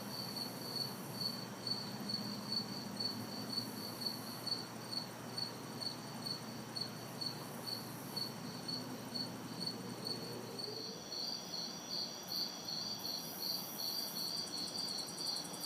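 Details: Crickets and cicadas sing through a hot, humid city summer night in a backyard: pulsed high chirps over a steady whine, a second chorus voice joining partway, distant traffic noise low beneath.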